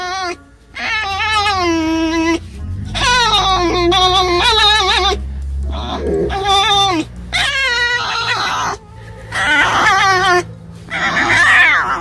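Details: A tame fox during a morning chase game with another animal, giving loud, harmonic, wavering cries in repeated bursts of about one to two seconds. A man speaks softly nearby, and music plays.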